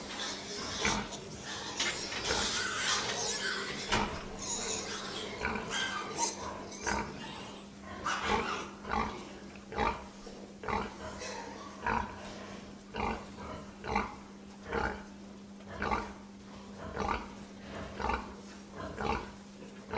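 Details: Pig grunting steadily, short low grunts tumbling over one another at first, then settling into a regular beat of roughly one grunt per second, with a steady low hum underneath throughout.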